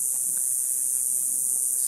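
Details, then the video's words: Summer cicada chorus heard on an evening neighborhood walk just after sunset: an unbroken, even, shrill hiss-like drone with no pauses. "Sounds of Cicadas"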